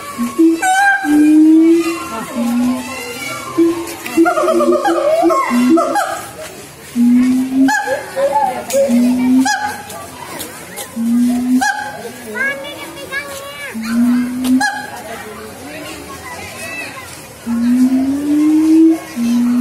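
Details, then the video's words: Sumatran siamang song with low booming hoots every couple of seconds, some sliding upward, mixed with higher bending whoops. Human voices and laughter murmur in the background. "OWA SIAMANG SUMATRA GIBBON MONKEY MONKEY BLACK LONG SLEEVEGIBBON SINGING"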